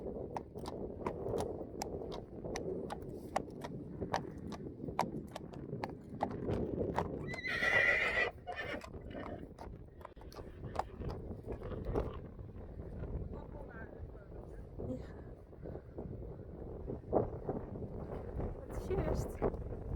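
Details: Friesian horses Eefje and Richtsje in a grassy meadow under rain clouds, going to investigate something. Steady, rapid hoofbeats run throughout, broken midway by one short, high whinny lasting about a second, with light wind in the background.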